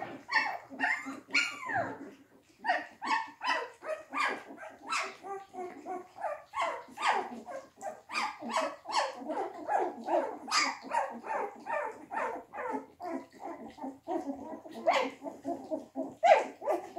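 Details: Several English Springer Spaniel puppies crowd their first quark mash, giving a busy chorus of short, high squeaks and yelps in quick, uneven succession inside a small room.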